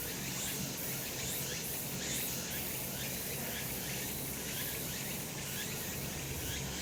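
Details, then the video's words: Cicadas calling on a sunny summer mountainside, recorded the previous month: a dense, steady high-pitched buzzing wash with regular brief shimmering pulses at the top of the range, over a faint low rumble of outdoor background. "セミの鳴き声 夏の山 日なた"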